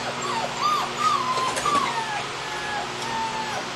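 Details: Cane Corso puppies, 5½ weeks old, with their mothers Nicoletta and Giulietta: thin, high whining whimpers that rise and slide down, several overlapping in quick succession over a steady background hiss.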